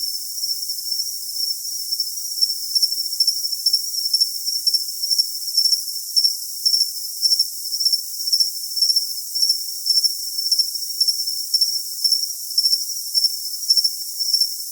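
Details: Continuous cricket chirps used for tinnitus masking: a shrill, sustained high tone with loudness pulsing roughly twice per second, a fainter upper overtone ticking along, nothing else heard, and the lower register empty.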